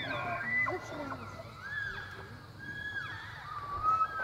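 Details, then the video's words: Bull elk bugling during the September rut at the Elk Viewing Area, Charles M Russell National Wildlife Reserve, Montana, where hundreds of free-range elk mass along the Missouri River; several overlapping high whistled glides with lower grunting notes, somewhat distant. "Giant Bull Elk Bugling in Montana"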